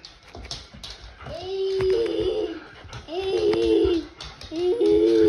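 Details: Border Collies at home with a boy. A dog gives three drawn-out, tonal whining howls, each rising then held steady with a bent ending, about a second apart, with faint voices in a small room.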